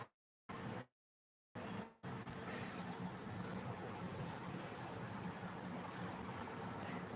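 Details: Brief dropouts to silence, then a steady wash of traffic-like noise.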